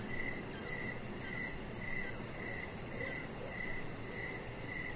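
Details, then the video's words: Crickets at dusk outside by a deck with a chihuahua puppy lying nearby; roughly nine clear, evenly spaced chirps, each a short buzzy burst, over a steady noisy background. "Chihuahua Puppy Laying On Deck with Cricket Sounds"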